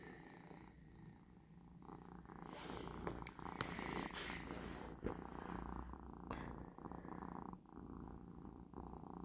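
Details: Persian cat purring indoors on the last day of its medication while gently stroking a paw over a person's head. A continuous low rumble runs under rustling and handling noises, with a few sharp clicks.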